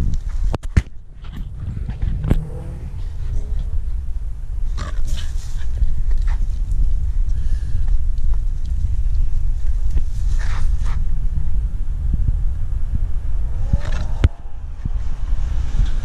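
A Staffordshire Bull Terrier gives a low, rumbling growl while guarding her stick.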